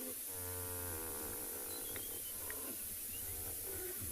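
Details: Hippos in the middle of a watering hole at a South African game reserve on an October afternoon give a deep, resonant grunt held under a second, then lower rumbling fragments, with faint bird chirps over distant hiss.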